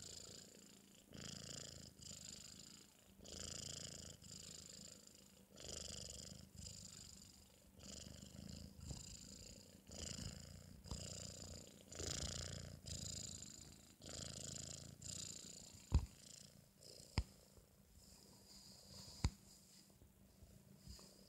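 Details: Sleeping after its meal, a British Shorthair kitten of four months snores heavily: rhythmic wheezy rasps roughly every second, loud at first and then softer, with a few sharp clicks near the end.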